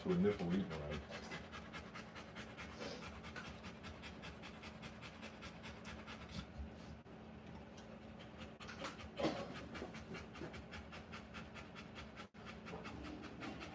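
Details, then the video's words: During a live birth of puppies, a Rottweiler pants steadily at roughly three breaths a second, the rhythm occasionally breaking, while a soft human voice is heard briefly near the start and again mid-way. "Rottweiler Puppies Live Birth."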